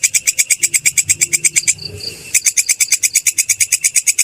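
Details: Grasshopper chirping in steady rapid pulses, about three per second, each a sharp high buzzy tick with overtones, briefly pausing mid-sequence while a faint thin whistle sounds, then resuming at the same even pace.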